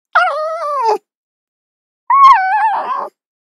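A fox gives two drawn-out, wavering barks, high and tonal, each sliding downward at the end.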